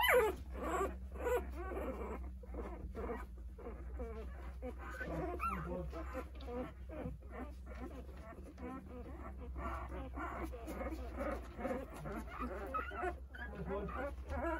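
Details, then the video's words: Nine 8-day-old Jindo puppies whimpering for their mother while she eats a snack; dense overlapping high whines and squeaks rise and fall in rapid succession, with a steady low hum underneath. "어미찾는 9마리 강아지들 생후 8일차❤️ 진돗개 어미"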